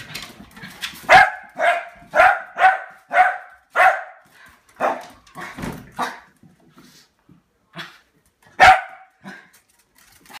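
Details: Lakeland Terrier in a play fight over a water bottle, indoors, giving a rapid series of sharp barks about every half second, a few quieter spaced barks, then one loud bark near the end.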